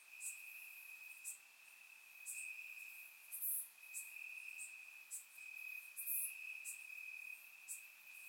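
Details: Night chorus of crickets in summer grass, Bulgaria: one continuous shrill high tone underlies sharp, very high chirps that recur irregularly, some louder and closer than others.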